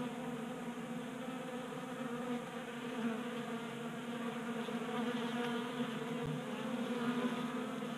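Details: Honey bees crowding a tabletop feeder in a garage in Colorado on a warm January day; thick, constant buzzing chorus with low humming bands, small flutters of individual bees flying close, and a faint tap midway.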